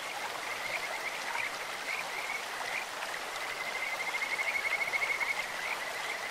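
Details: Kajika frogs in a clear stream give a sweet, bird-like voice: short high trills break up early on, then merge into one long rapid pulsing trill in the second half, all over constant flowing water.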